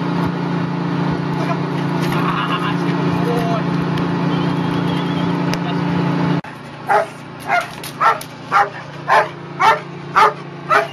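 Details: Chriss, a German Shepherd doing protection training aboard a tug boat: loud engine drone and murmuring at first, then after a sudden cut about eight evenly spaced, punchy barks follow one another rapidly.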